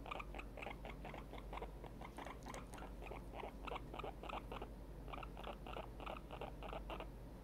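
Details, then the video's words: Very excited pet guinea pig named Tiny gives short, evenly spaced squeaks, nearly four per second, in steady runs with a brief gap near the middle; quiet room background. "Very Excited Guinea Pig Isn't So Small Anymore - The Squeakuel"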